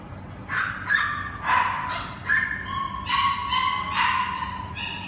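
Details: Cane Corso puppies from a single litter: a run of about eight short, high whimpering yips with bright overtones, loosely spaced.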